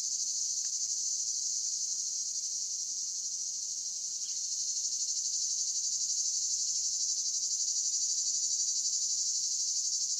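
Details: Cicada. A chorus of cicadas fills the air with a continuous high-pitched buzz, finely pulsed like a rapid rattle. The sound holds an even pitch and loudness throughout, with no other clear voices above it.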